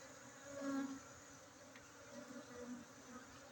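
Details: Soft continuous humming of honey bees at a bee-keeping site in Bener Meriah, Aceh, recorded during a honey harvest on 7 August 2023, rising slightly near the start over a quiet background hiss.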